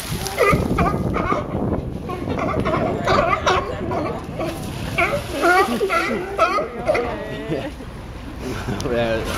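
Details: Sea lions fighting at Pier 39, Fisherman's Wharf, San Francisco, California: a crowded run of harsh, harmonic barks overlapping one another at a fast, uneven pace, with splashing water and a steady background hum.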